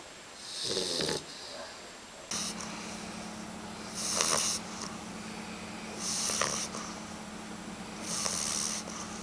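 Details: Puppy asleep and snoring, each breathy, hissing snore repeating about every two seconds over a steady low electrical hum.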